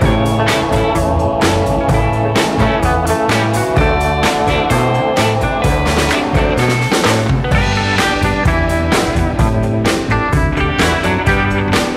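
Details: Loud guitar-driven rock music with a steady drum beat plays throughout, with no animal sounds heard.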